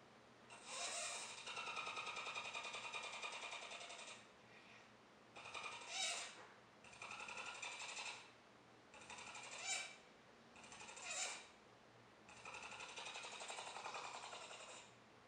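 A capybara gives rapid, rattling bursts of clicks, like a fast mechanical chatter.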